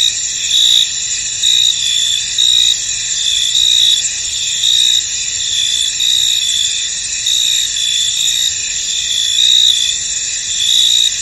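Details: Chorus of crickets in a fog-covered field, a continuous shrill shimmer overlaid by short bright chirps that rise and fall in loose pulses roughly every second; nothing else stands out.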